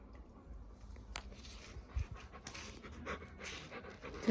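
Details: Domestic Labrador Retriever breathing heavily: clear, rapid rhythmic panting that swells and fades, with a brief sharp tap, light handling noise and a quiet human voice nearby.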